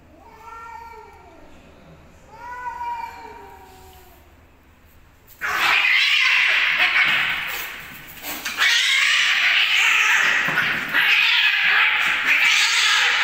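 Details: Homeless cats fighting: two drawn-out, wavering low yowls with rising and falling pitch, then an abrupt burst of loud, harsh screaming and hissing that continues to the end.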